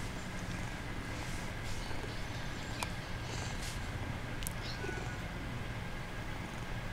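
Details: A male kitten pretending to be asleep purrs continuously, a deep throbbing rumble with a steady faint hum and a few soft clicks over it.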